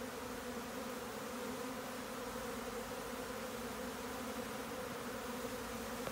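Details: Honeybees swarming: an unbroken, droning buzz, dense and even in loudness, with a faint click at the very end.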